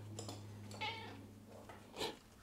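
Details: Pet white fluffy cat replying with a short meow after being called by name indoors; one brief, slightly rising meow near the middle and a fainter second mew near the end, over a steady low electrical hum.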